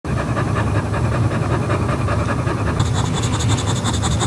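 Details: Boxer dog giving birth for the first time on the floor in a shallow box with green outdoor cushions; heavy, rapid rhythmic panting pulses continuously, breathy and steady, with a low hum underneath.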